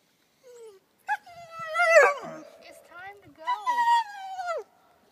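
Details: German Shepherd throwing a fit when told it's time to go: drawn-out, wavering high whines and moaning cries rising and falling in pitch, with a person's voice urging the dog to leave.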